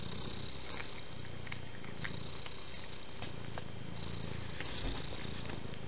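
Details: A cat purring low and constant, a soft buzzing rumble that barely varies, with quiet hiss in the background.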